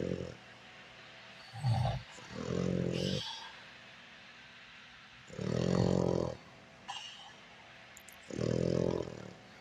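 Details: A French bulldog snoring while asleep: four rough, low, rasping snores of about a second each, coming every two to three seconds, with quiet breathing pauses between them.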